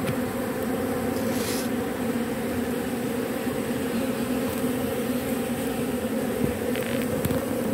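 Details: Bees robbing propolis off matchsticks, giving a continuous droning buzz at constant loudness with two steady tonal bands, plus a few short rustling ticks near the start and end.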